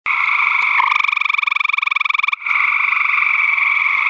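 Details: A gray treefrog (Hyla versicolor), hidden in vegetation, gives a loud, musical trill of rapid pulses that lasts over a second.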